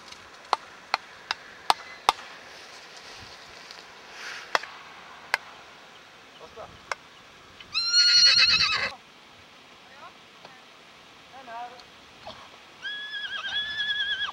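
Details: Icelandic horse foal bred at Geitaskarð, recorded on 21 July 2012: sharp clicking knocks at first, then a loud, high, harmonic whinny lasting about a second, a few shorter fainter squeals, and a final shrill, wavering whinny.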